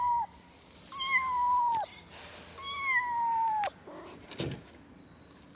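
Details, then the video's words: A kitten calls for its mother with long meows that hold a steady pitch and then drop sharply; three calls, two of them drawn out, followed by a few faint clicks and rustles. "efek suara anak kucing mengeong memanggil emaknya"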